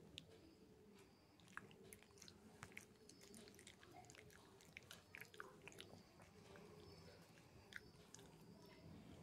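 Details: Shih Tzu puppy chewing his chew stick indoors in a small room, a steady run of wet, crunchy gnawing clicks and soft bites with brief sharp cracks scattered throughout.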